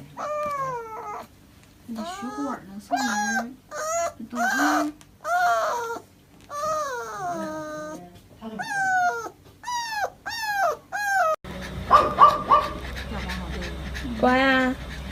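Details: A dog getting an injection whines and cries in a run of drawn-out, falling, tonal yelps, several per second in bursts, then a noisier stretch with sharper cries.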